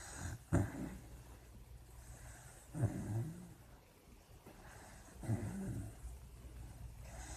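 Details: A dreaming puppy asleep gives three soft, low growling snores spaced about two and a half seconds apart, each a short rumble, over quiet room noise.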